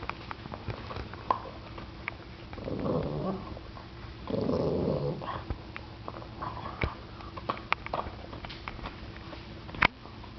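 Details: Indoors, a seven-year-old Boston Terrier growls over its bone at a ten-week-old puppy; two low muffled growls a second apart amid clicking and tapping noises.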